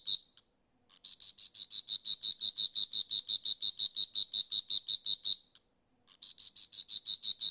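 A grasshopper makes a dry, high-pitched rasping buzz in steady pulses, about three each second.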